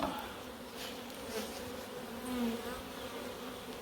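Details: Africanized honey bees in Puerto Rico buzzing during a routine hive inspection; a dense, steady, low droning hum fills the whole stretch with a few brief louder swells.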